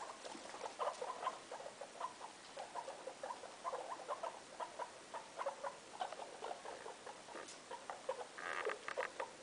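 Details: Indoor guinea pig family: the mother Loeki with her three young in a room, producing rapid bursts of short, low chuttering notes in quick series, ending with a denser flurry of squeaky calls over soft rustling.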